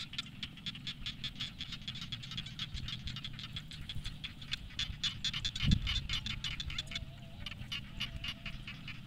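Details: Evening frog chorus from rice paddies: steady rapid clicking croaks stacked in quick succession, with one sharp thump midway and constant low rumble underneath.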